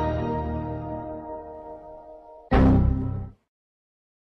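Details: Fading sustained music chord followed by a sharp whoosh and bang, then silence; no animal voice.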